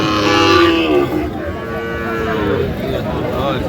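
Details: Sahiwal bull calf at a cattle market in Tangail, Bangladesh, on 30 December: a loud, harmonic moo lasting about a second that slides slightly downward, followed by market chatter and people talking in the background.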